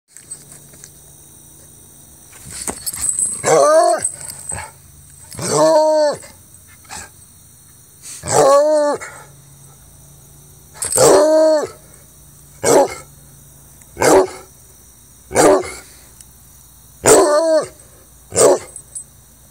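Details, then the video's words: Jax, an almost four-year-old Treeing Walker Coonhound, bays while having fun: drawn-out, harmonic howls with a rise-and-fall arch, about one every two to three seconds, separated by quiet gaps. "Treeing Walker Coonhound Howling, Baying, and Having fun"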